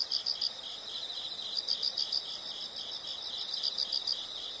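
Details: Insects in a nature soundscape, a steady high chirping band with bright pulses repeating about three or four times a second, layered callers forming a continuous shimmering chorus.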